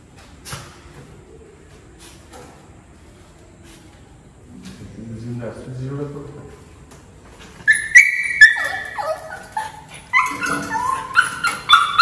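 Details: Excited Maltese puppy greeting her returning owner after ten days away: quiet low sounds at first, then a burst of high, squeaky whimpers and yips rising and falling in quick succession, with people's voices mixed in.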